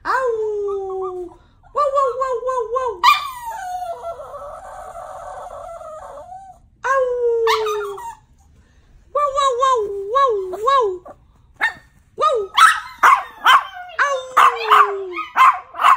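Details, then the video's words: Wolf-like howling from a Yorkshire Terrier: warbling wavy howls, one long rough groaning stretch, then a quick run of high barks near the end. "Wolf dog 🐶 wolf yorkie 🐶perro lobo"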